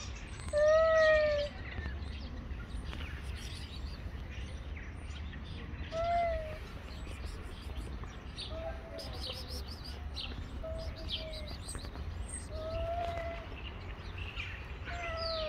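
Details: Street cats, two males squaring up to fight, trade long arched yowls rich in overtones. The loudest comes early, with further cries around six and thirteen seconds, and birds twitter throughout.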